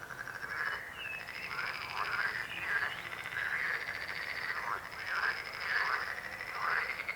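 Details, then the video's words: Chorus of croaking frogs, many overlapping raspy calls rising and falling in waves roughly every second, with a thin steady high tone running through and soft background noise. "Rechot żab. Croaking frog sound."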